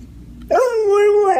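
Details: Dog prompted to tell what it said to coyotes produces a sustained, smooth vocal whine, rising at the start, then holding a steady falling tone with a small lift at the end; background otherwise quiet.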